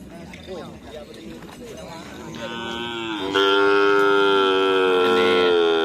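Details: Cattle at a karapan sapi race training session at Asemanis field: people talking amid background noise, then a loud, steady, harmonic-rich moo sustained from about three seconds to the end.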